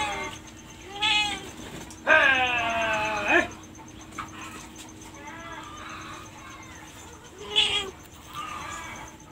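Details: Domestic cat with a drawn-out, harmonic meow lasting over a second that bends downward at its end, framed by shorter, fainter mews before and after.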